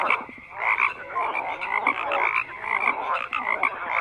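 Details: Many frogs calling at once: a thick wall of harsh croaks rising and falling in short surges, dotted with brief bright whistle-like notes, steady throughout with no background noise of note.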